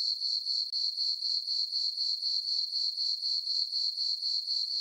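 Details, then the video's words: Crickets chirping at night in a meadow on a farm beneath a full moon in summer; a thin, high, rhythmic trill repeating about four pulses a second, with a brief dip early on. "Cricket chirping sounds for sleeping - sleep and relaxation nature sounds at night"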